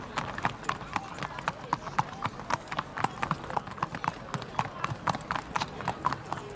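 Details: Galloping racehorses during a race on 31 May 2015: rapid drumming hoofbeats at roughly four strikes per second, fairly even, with a commentator's speech running over them.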